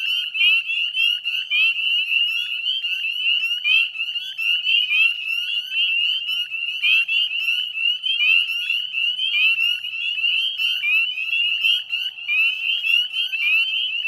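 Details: Extended northern spring peeper chorus at dusk, 18 May 2020, around the Chezzetcook salt marsh, Nova Scotia, Canada: relentless high rising peeps from numerous frogs blending into a loud shimmering drone.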